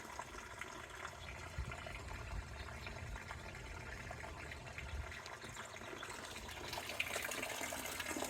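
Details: Steady splashing, trickling water noise throughout, brightening toward the end; no animal calls.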